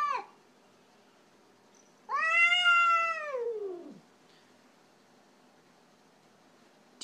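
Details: Pet cat Orkah objecting to a stranger kitty visiting her: a brief falling fragment, then one loud two-second meow that rises slightly and sweeps steeply down at the end, followed by quiet.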